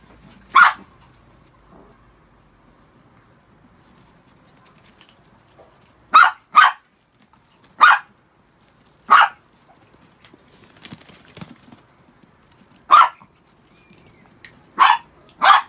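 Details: After a shampoo, six pet Chihuahuas give single high-pitched barks at irregular intervals, eight crisp yaps in all, with a brief pair near the end and near silence between.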